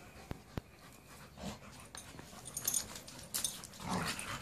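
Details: Two male dogs, a pit bull and a rottweiler, playing together; soft, breathy growls and huffing pants come in short, noisy bursts that grow busier toward the end, with two sharp clicks near the start.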